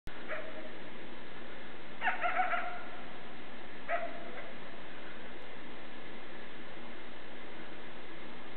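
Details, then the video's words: A young coyote in a backyard gives a few short, sharp barks with a slight yipping edge, separated by quiet pauses. "Coyote Calling"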